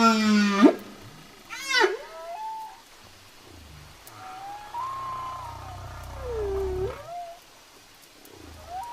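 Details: Whale song: a harmonic upward swoop and rising whoop open the phrase, followed by long wavering moans that rise, hold and dip, with faint low rumbles underneath.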